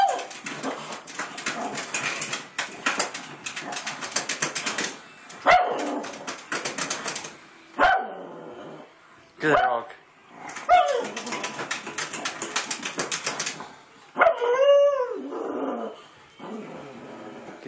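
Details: A pug barking crazily at another dog gives sharp, bursting barks, some rising into yelps, between stretches of human talking.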